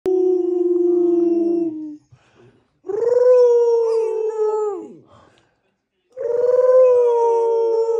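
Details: Fourteen-week-old female Rottweiler puppy giving her first howls, helped by her doggy brother and the family; three long sustained howls, steady then gliding down, overlapping voices in the first, separated by brief pauses.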